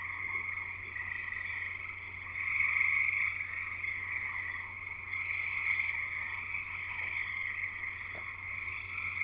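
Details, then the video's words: Evening-style frog chorus recorded at a house in Escanaba, Michigan, Upper Peninsula: countless high, piercing peeps blending into a shimmering continuous trill that swells around the middle, a few faint clicks, and a low constant hum. "Frogs Singing in the U.P."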